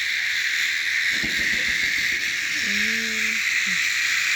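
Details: Cicadas in a steady, unbroken high-pitched buzz with a strong shrill band, even in loudness throughout; a brief human voice is heard midway.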